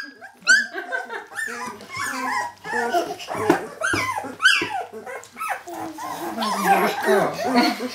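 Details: Jämthund puppies of kennel Fenrisulfr, 2012, squealing and yipping in overlapping bursts, some sharp rising yelps standing out, the whole litter growing louder toward the end.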